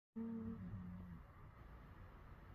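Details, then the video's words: A rescued Patterdale Terrier lets out a soft, low, wavering whimper in its sleep during a midday nap. "Dougie dog making noises in his sleep"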